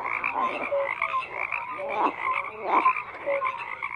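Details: Frogs in full chorus: overlapping rasping croaks and clipped tonal notes pile up in waves, a few louder pulsed croaks standing out near the middle and end.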